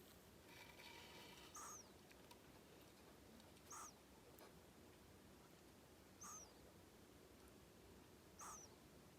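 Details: Male pet hedgehog Kenta, born January 15, 2020, snoring while asleep. Four soft breathy puffs come roughly every two seconds, each with a thin high whistle and a lower hum, against steady faint hiss.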